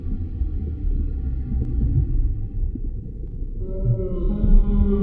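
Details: Humpback whale song recorded underwater: a long steady tonal moan with stacked harmonics, a pause near three and a half seconds, then a higher rising tone joins over a constant low rumble.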